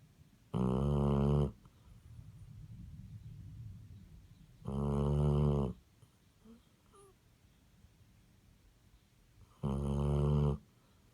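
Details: Sleeping Basset Hound giving three heavy, buzzy snores roughly every four to five seconds, each about a second long, with quiet wheezy breaths and faint small noises in between.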